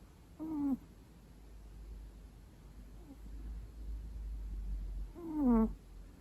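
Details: Two long-coat Chihuahuas, a male and a female, napping together indoors by day, with loud snoring heard: two short, squeaky, nasal breaths, each sliding downward in pitch, about five seconds apart over a low hum.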